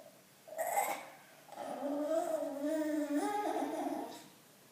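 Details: A bulldog named Loetje, wanting attention indoors in a small room, gives a short snorting burst followed by a long wavering, moaning whine with rising and falling tones lasting about three seconds.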